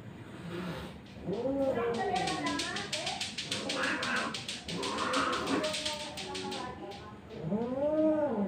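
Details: Two tomcats and a female village cat gathered together, quarrelling over her: long, warbling, arching yowls rising and falling, with a rapid rattling click train and people talking in the background.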